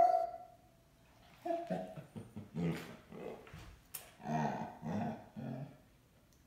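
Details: Basset Hound distressed because its owner went out without it: a brief whine, then a low, broken run of grumbling whimpers and muffled vocal bursts over a steady background hum.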